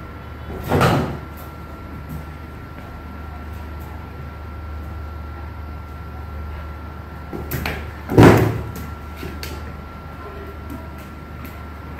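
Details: Two heavy thumps like a sliding door closing, near the start and again after eight seconds, over a steady electrical hum, with no animal sound audible.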